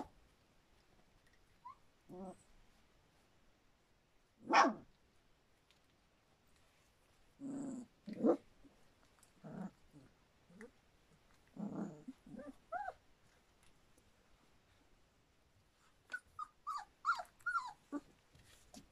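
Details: Standard Poodle puppies a little over three weeks old, from a litter at Cantope Standard Poodles: scattered short whimpers and grunts spaced a few seconds apart, with a cluster of higher squeaky yips near the end; quiet room otherwise.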